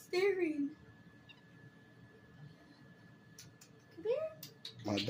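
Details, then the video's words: A kitten making funny sounds: a short arched meow near the start, then a second, rising mew just after four seconds, with low background murmur and a few soft clicks at the end. "Kitty makes funny sounds"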